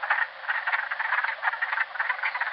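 Wood frogs give a dense chorus of short, raspy clucks, much like ducks quacking.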